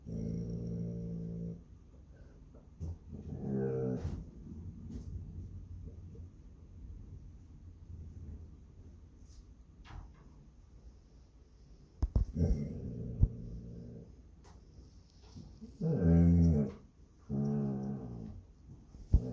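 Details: Growling Basset Hound watching over its home on Palm Sunday: a low rumble at the start, another near four seconds, then a quieter stretch before short rough growls return near the end, with faint clicks between.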